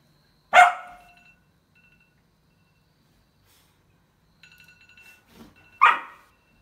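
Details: Domestic dog barking at a phone alarm: two sharp single barks about five seconds apart, with the alarm's steady electronic beeping tones sounding between them.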